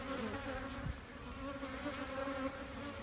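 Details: Honey bees at hives being relocated to a farm, a steady dense buzzing hum with a droning tone throughout and a few faint knocks.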